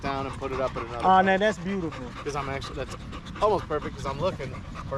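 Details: Male Staffordshire Bull Terriers chatting together through a long park evening: a run of harmonic, yodel-like whines with bending pitch, some long and loud, others clipped, separated by brief pauses.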